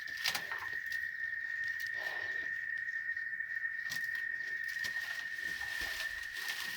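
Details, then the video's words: A constant piercing cicada whine, from chicharras recorded on a ranch in Oaxaca, Mexico, runs through the whole stretch, overlaid by sharp clicks and bursts of rustling or handling noise. "El Sonido De Las Chicharras"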